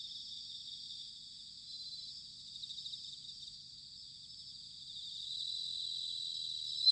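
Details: Chorus of bell crickets on an autumn night in Sanuki, Chiba, Japan: a dense, shimmering high trill, soft at first and growing louder toward the end.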